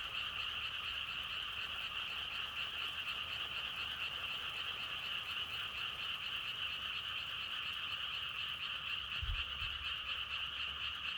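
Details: Many frogs calling together in an even, unbroken croaking chorus, rapid pulses layered into a steady high drone; a single brief low thump near the end.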